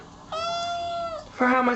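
Kittens meow: a long, steady high-pitched mew followed by a shorter, lower and louder one.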